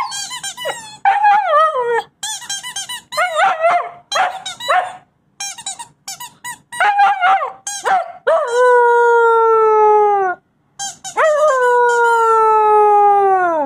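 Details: Covington the wolfdog puppy, five weeks to four months old, opens with choppy yips and wavering whines, then draws out two long, clear howls that slide slowly downward, each lasting about two seconds.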